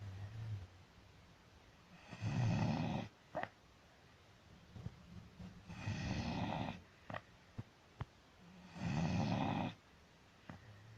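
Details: Dog snoring loudly with long, rough, rumbling inhalations about every three and a half seconds, separated by quieter breathing and a few sharp clicks.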